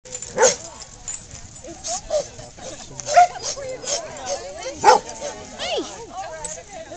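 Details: At a corgi meetup, a herd of running corgis gives sharp, high yipping barks at scattered moments over people chatting.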